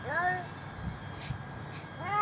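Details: Hungry old stray cat crying for food while eating at a doorstep: one arching harmonic meow at the start and another rising one at the end, with soft chewing-like clicks between.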